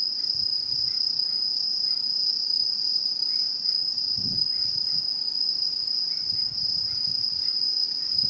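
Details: Chorus of autumn insects in rural satoyama, Japan, 2016: a continuous shrill, even-pitched ringing drone, faint short chirps in the middle range, and a brief low thud near the middle.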